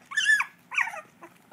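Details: Dachshund puppy learning to bark, giving two high, squeaky yelping barks with rising-then-falling tones, followed by softer short yips, indoors.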